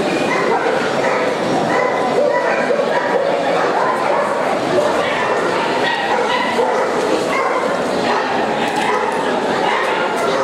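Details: Several short, shrill barks from Yorkshire Terriers at a specialty class of the Montluçon international dog show, France, in March 2016, heard over a constant hum of voices and hall noise.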